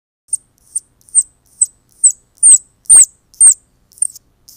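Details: Baby squirrels crying to attract their mother to collect them: high, sharp squeaks near the top of hearing, repeated about twice a second in a steady series of roughly ten, some notes louder with a downward sweep.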